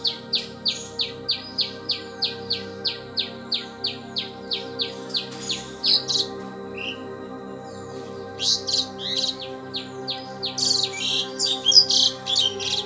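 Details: An Indian palm squirrel, during a squirrel fight, gives a fast run of sharp, high chirps, about four a second, then scattered squeaky calls.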